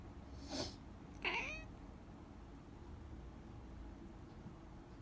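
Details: Domestic cat indoors meowing in reply to its owner's sniffling: one loud human sniff, then a single clear, slightly falling harmonic meow lasting about half a second, followed by quiet room tone.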